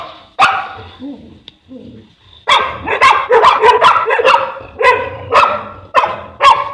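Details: Boerboel, the African Mastiff, in Egypt, from the pair Enzo and Diva; a single sharp bark, a few soft low sounds, then a dense series of heavy barks from two and a half seconds onward.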